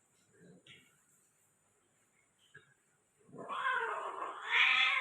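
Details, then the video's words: Mating Persian cats in Gujranwala, Persian female crossbreeding: a few faint scattered sounds, then a loud, rising, strained yowl that builds and grows harsher over the final two seconds. "How to cat mating full video| Persian female cat cross"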